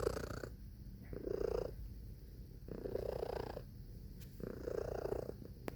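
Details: Cat purr in close-up, a low vibrating rumble that swells and fades in about four breath cycles, roughly one every second and a half.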